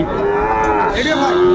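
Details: Sahiwal cattle, bull calves at a cattle market near Dhaka, Bangladesh, 8 May 2024: a brief, steady, tonal moo with a slight wavering pitch, over market bustle and background chatter.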